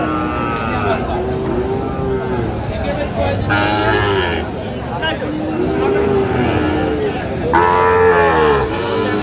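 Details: Cattle market in Kushtia, Bangladesh, 5 August 2025, with Sahiwal bulls for sale: a series of arching moos returns every couple of seconds, one louder and higher near the end, with people talking throughout.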